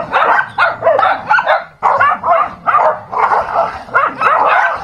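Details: Fighting dogs trade loud clustered barks and yelping snarls, breaking off briefly near the two-second mark before the scuffle resumes.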